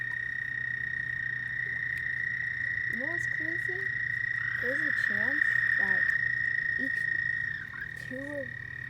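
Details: Frogs at night: a continuous high, droning trill runs throughout while shorter, lower, upward-swept chirping calls break in repeatedly, some in quick pairs, over a faint low hum.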